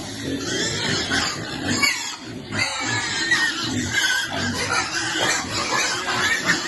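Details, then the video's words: Mother pig feeding piglets: continuous coarse grunting with brief pauses, deep guttural pulses layered over noisy snuffles and occasional sharper squeaks. "Pig's favorite water, and feeding lovely piglet every day."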